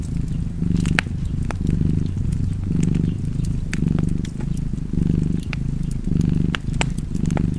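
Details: Domestic cat purring by a fireplace: a deep, continuous rumble that swells and fades with each breath, roughly once a second, while sharp crackles and pops from the fire break through.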